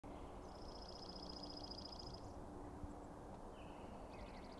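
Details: Elk bull bugling at night as the Sheriff, the largest bull, faces a challenging bull among several others: a thin, high whistle with a rapid pulsing texture holds for nearly two seconds, then a shorter rising glide follows, over steady low background noise.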